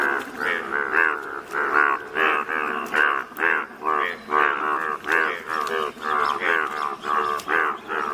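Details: Chorus of yellow Indian bullfrogs in natural surroundings in Malkangiri district, Odisha, India; loud, nasal, buzzy croaks repeat steadily roughly every half second, several callers overlapping without pause.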